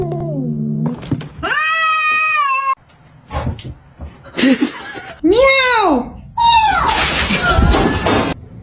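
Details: Domestic cat in a funny pet compilation: a long, steady, flat meow, followed by shorter meows that rise and fall in arching sweeps, with brief gaps, edit cuts and a human voice just before.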